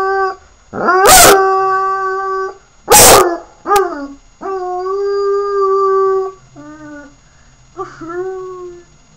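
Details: A howling puppy named Sirius gives a series of sustained, steady howls, each a few seconds long. Brief, harsh, explosive yelps cut in between them, and the series ends with shorter, softer, dipping wails.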